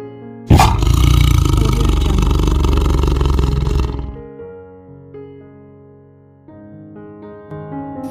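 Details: Tiger roaring: one loud, deep, rumbling roar lasting about three and a half seconds with a coarse pulsing texture, dying away into soft background music with piano-like tones.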